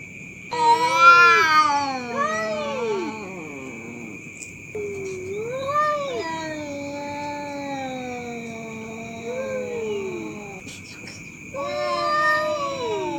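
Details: Cats fighting at night, keeping people awake: long wavering yowls that swoop up and down in pitch, overlapping and drawn out, with brief pauses, over a constant high electrical-sounding whine.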